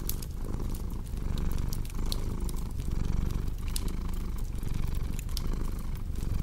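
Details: Strong, close cat purr, a dense low rumble pulsing with each breath, while a crackling fireplace adds sparse sharp pops over the top.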